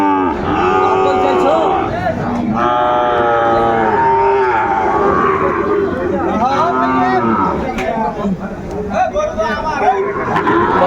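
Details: At a Bangladeshi cattle market on 8 May 2024, Sahiwal bull calves low repeatedly: several long, rich moos swell and bend in pitch, one after another, over a crowd of traders talking and calling out.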